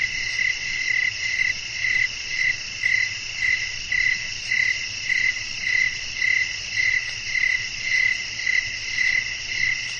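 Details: Crickets chirping through a windy night: a long, steady series of short pulses, close to two per second and around eighteen altogether, over an unbroken high buzzing insect background.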